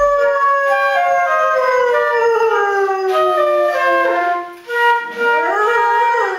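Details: Pet dog howling along to a flute, a long sliding howl falling slowly in pitch, then rising again, mixed with sustained flute notes.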